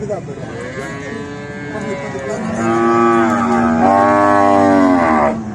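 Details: Cattle during natural mating, with a bull, cow and buffalo present; a long, loud, harmonically rich moo that starts lower, swells and holds steady into a strong drawn-out bellow lasting several seconds.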